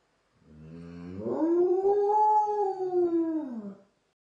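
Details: A Czechoslovakian wolfdog howling at wolves gives a single long howl, rising from a low moan to a sustained tone.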